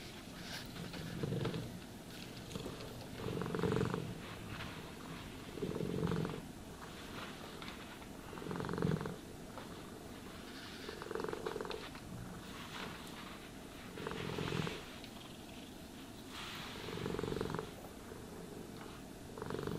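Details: A groomed cat purring steadily under a brush; the vibrating rumble rises and falls in slow waves, about every two to three seconds, mixed with rustling brush sweeps.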